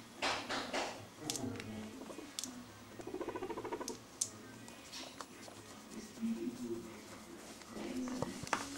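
A guinea pig gives a low, buzzy purr that comes in short rumbling bursts with brief pauses. Soft rustles, taps and faint background sounds from a small room are heard throughout.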